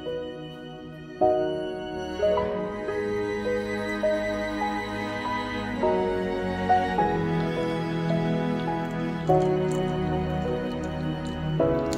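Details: Soft, sad instrumental music with sustained chords changing every second or two, and no animal voices.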